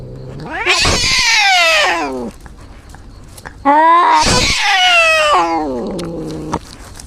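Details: Injured cat giving two long, loud wavering yowls. Each swoops up into a harsh, strained cry, then slides down into a lower moan, with a short quiet gap between them.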